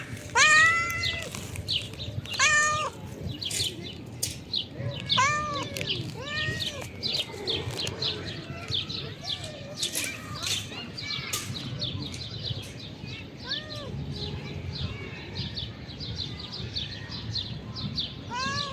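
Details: Hungry calico female stray cat being given dinner on a river bank: loud arched meows with stacked harmonics, mostly in the first seven seconds, then a few softer ones, over steady clicking and rustling and faint outdoor background.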